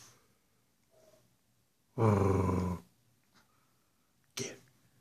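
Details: Pekapom pair, Stella the smaller female and Moose the male, clowning around on camera. One loud, rich, buzzy growling bark lasting nearly a second stands out, with a brief sharp noise after it and a quiet room around it.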